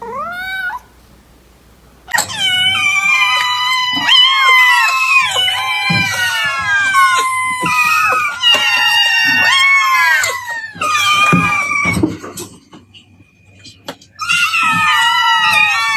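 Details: Several overlapping cat meows and drawn-out caterwauling calls, sliding up and down in pitch and crowding together, with short gaps of near silence and low thumping sounds beneath.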